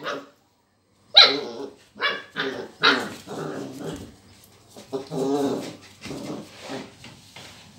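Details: A Border collie puppy, seeing a lemon for the first time, gives a run of short, high, yappy barks, some trailing into whiny yelps.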